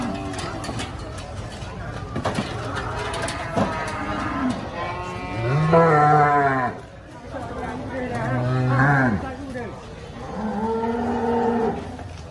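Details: Cattle at the Sibreh animal market in Aceh Besar, Indonesia, lowing in several drawn-out moos, some deep and others higher and strained, over a constant background of crowd noise.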